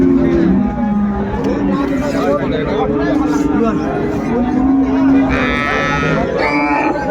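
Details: Cows and calves at Ambari cattle market in Dinajpur on 31 January 2025, being bought and sold; low, drawn-out moos rise and fall beneath constant crowd chatter and bargaining voices, with a brief higher tonal sound near the end.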